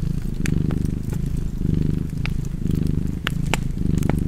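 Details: Relaxed cat's purr, a soft low rumble swelling with each breath roughly once a second, accompanied by crisp crackling and popping from a nearby fire.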